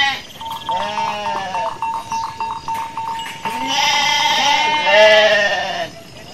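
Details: Garut sheep ewe giving birth while foraging; a bleat, then a long harsh quavering one, accompanied by a rapid ticking, bell-like tone.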